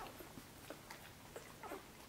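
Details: Korthals Griffon pups in Djip's nest on their sixth day, searching for a teat under their mother, let out brief thin squeaks, a handful of quick chirps, the last few bunched together.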